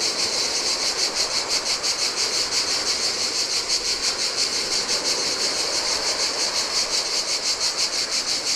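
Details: Cicada chorus in summer heat at a lonely Greek island shore on the Adriatic sea; sharp, sizzling buzz swelling and fading in even pulses near three per second, backed by splashing surf.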